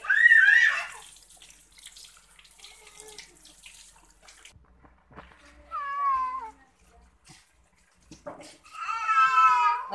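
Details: Cat being bathed meows three times, each a rising-then-falling cry, the last longest and loudest, separated by quiet stretches with faint soft voices and light handling noises.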